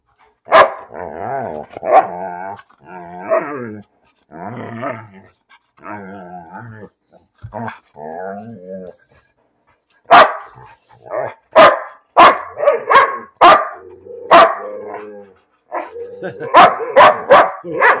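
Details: Bean, a dog barking for no reason, first makes a string of wavering, talking-like whines and grumbles, then breaks into rapid, sharp barks in quick bursts through the second half.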